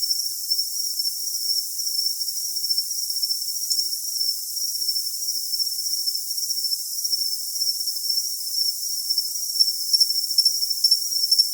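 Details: Cricket recording meant for tinnitus masking. A continuous high-pitched ringing trill holds almost unbroken, with faint pulsing chirps coming in near the end. The sound is very thin and bright, with nothing in the low range.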